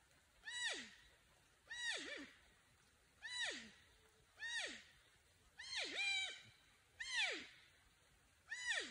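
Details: Porcupine alerting or calling for a friend or mate: descending, harmonic whining calls sliding from high to low. Seven calls come about every 1.3 seconds. A few are doubled or wavering. Light background hiss.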